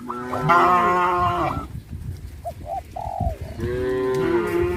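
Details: Cows of a village farm herd walking toward green grass fields: a long rising-then-falling moo, a quieter gap with a few short low grunts, then another sustained moo starting.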